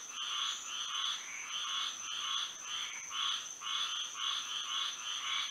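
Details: Florida frogs calling at night in moonlight, many voices producing repeated raspy, buzzing notes in uneven overlapping bursts, accompanied by a continuous high whine.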